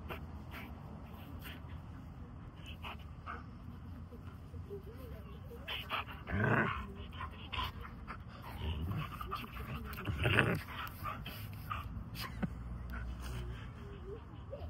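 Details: Borzoi named Lily vocalising during grass yoga: two loud, broad barks spaced about four seconds apart, with softer whimpering and low rumbling background noise between them.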